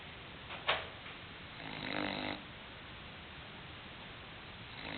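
An English Bulldog snores in its sleep with a raspy, drawn-out breath.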